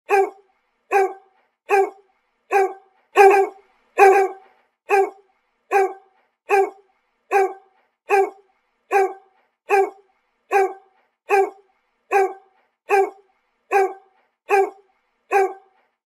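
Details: Golden Retriever barking: about twenty short, sharp barks repeated evenly, roughly one every 0.8 seconds, with a louder pair near the start and a silent background between barks.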